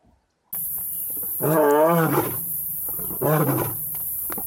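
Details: Lion roar on Blue Canyon Private Game Reserve during a hot, dry midsummer spell, where two young Madrid pride males learn to roar from adult males; one long, deep, wavering roar, a short pause, then a second, shorter roar.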